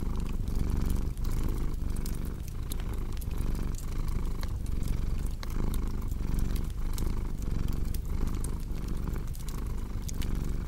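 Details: Continuous contented purr from a cat, low and buzzy with a gentle regular rise and fall from breathing, mixed with constant crackle and pops of a burning fireplace.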